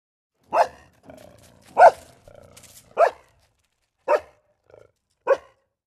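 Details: A dog playing with balloons gives five short, sharp barks spaced about a second apart. Softer rustling and squeaky rubbing sounds come between the barks.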